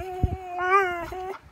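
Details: Cubby, a Catahoula dog, begging for his owner's breakfast and talking back, giving a single drawn-out whining vocal that swells then holds steady before trailing off, with a brief thump near the start in a quiet room.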